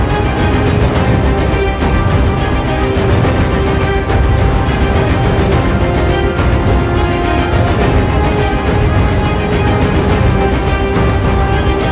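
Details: Loud, continuous theme music with a steady beat and heavy bass fills the whole stretch, with no animal sound.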